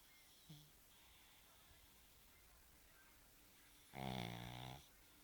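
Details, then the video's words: Snoring from a pug named Bosya: after a quiet stretch with a faint snort early on, one loud, deep, buzzing snore with rich harmonics lasts under a second near the end. "Мопс Бося храпит"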